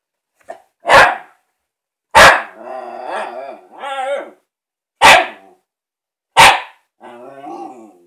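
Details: A female Shiba Inu barks at her new ball, giving loud, sharp single barks spaced a second or more apart, with warbling sounds between.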